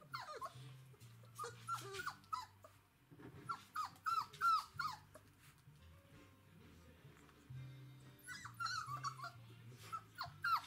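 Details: Galgo Español puppies from a 2017 litter at day 22, at a kennel, recorded 16 September 2017: a cluster of short, high, arched squeaks and whimpers in bursts, several pups overlapping, over steady background music.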